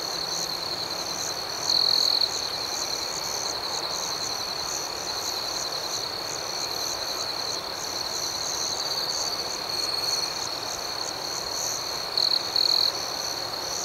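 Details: Crickets at night in an outdoor setting, producing a sustained high trill with steady pulsing chirps above and several short, louder bursts scattered through.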